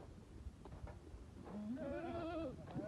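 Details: Among Bishi goats and their 40 kids kept at Duqa, a single quavering, slightly rising bleat lasts about a second over low shuffling noise.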